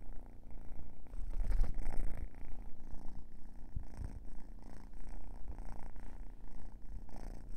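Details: Drowsy kitten purring up close around a yawn, a deep continuous rumble rising and falling in uneven pulses, louder in the first two seconds.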